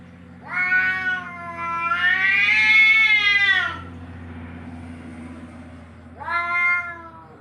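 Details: Cat sounds meant to chase cats off: a short meow, then a long, loud, strained wail that climbs and bends before fading, followed after a pause by one more brief meow over a faint low background hum.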